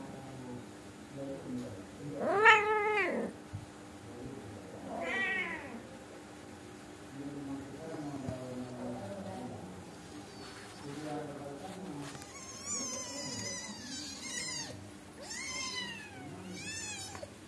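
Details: Angora mother cat and kittens chatting, the mother nagging them to sleep and stop being naughty: a loud meow, a fainter second meow, quiet murmurs, then a run of short, high, squeaky mews near the end.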